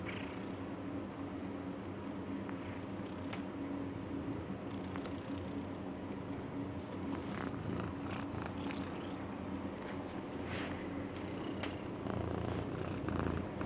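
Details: Skrutt, a female pet cat, snoring as she sleeps: a soft, steady low rumble runs throughout under a faint hiss, with a few brief clicks and rustles.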